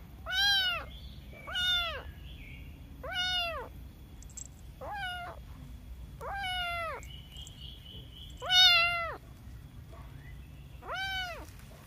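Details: Kitten repeating its meow seven times in about twelve seconds, each call a short rising-falling wail with bright overtones, plus faint high chirps in the room and a constant low hum.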